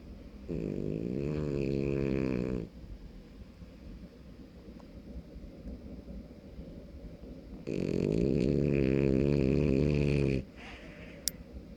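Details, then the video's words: A 5-month-old male French Bulldog puppy snores loudly in two long, rattling, harmonic-rich bursts separated by quiet breathing. "French Bulldog puppy snoring 5 months too cute loud snoring sleepy"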